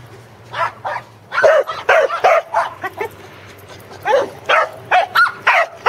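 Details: Corgi herding sheep at a farm in Arlington on 27 March 2011, second attempt; rapid, uneven bursts of yappy barks, some doubled, run nearly continuously with short pauses.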